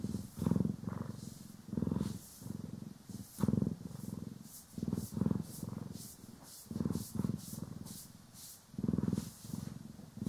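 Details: Purring from house cats Poki and Kiwi during grooming and brushing, captured in stereo; low vibrating rumble swelling and fading in uneven breaths across ten seconds, light scratchy brush strokes audible in the background.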